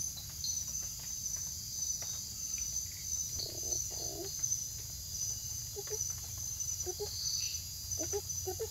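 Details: Banded monkey frog, Phyllomedusa tomopterna, in the Jatun Sacha Biological Reserve, Ecuador, giving short low clucking notes, often in close pairs, repeated through the second half, under a constant high shrill insect drone.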